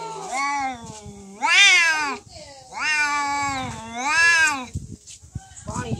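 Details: Fighting cats in a real cat fight: long, wavering, strongly harmonic yowls that rise and fall, in four drawn-out bursts of about a second each, with short gaps and faint noises between them.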